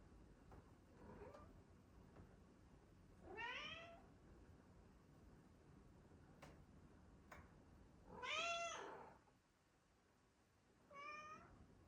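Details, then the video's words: Indoor female pet cat, the fridge cat, meowing while filmed: three distinct drawn-out meows spaced a few seconds apart, plus a faint short one early on, each arching up then down, between soft room noise and small clicks. "Fridge cat meows"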